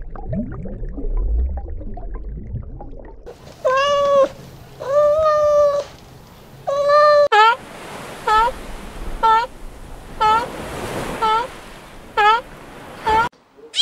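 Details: Domestic cat meowing in a series of harmonic, slightly wavering cries, three long drawn meows followed by about seven shorter rising-falling ones roughly every second, with low background rumble before the first call.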